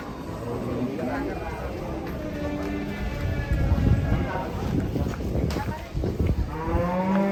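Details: Large cattle, reportedly angry as it is about to be sold, gives low drawn-out moos amid a busy background of people talking and handling noise, with a harmonic bellow rising near the end.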